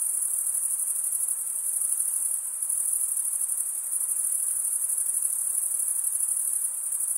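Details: Cricket chorus made by males scraping their wings together: a sustained, very high, buzzing trill with rapid tremolo, even in volume, over a quiet background hiss and nothing else.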